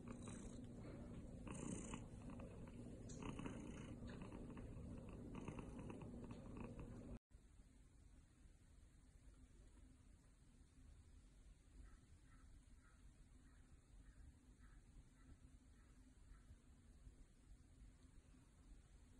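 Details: A golden British Shorthair cat named Maple purrs in a loud, rough, rhythmic low rumble that pulses with each breath for about seven seconds, then continues as a softer, quieter purr after a brief cut.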